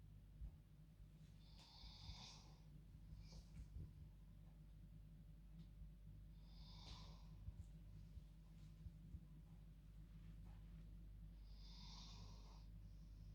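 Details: Female dog asleep in her bed at bedtime, snoring like a person: three raspy, hissing breaths about five seconds apart over a steady low indoor hum.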